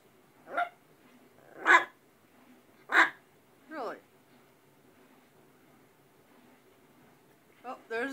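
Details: Domestic dog having a talkative day, 19 September 2010, barking in an uneven series: three sharp barks, then a drawn-out, sliding whine-like yelp, then more barking, while its owner chats to it.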